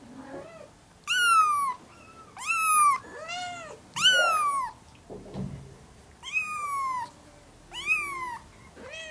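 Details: A young mother cat and her four one-month-old ginger kittens indoors; six loud, bright kitten meows, each rising then falling, repeated roughly every one and a half seconds, with softer lower mews between.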